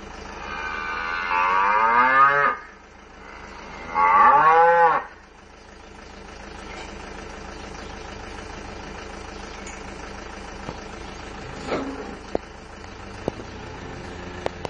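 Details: Cows answer recorded mooing played from a speaker with two loud, long moos that bend in pitch, each lasting about two seconds, followed by a quieter stretch of low hum and a few faint clicks.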